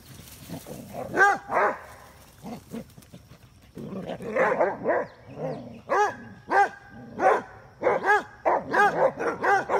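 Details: Basset hounds, female dogs chasing a male in play, give bursts of deep, harmonic, arching barks and bays. The barks come in uneven clusters, with short gaps between them and a rapid run of barks in the second half.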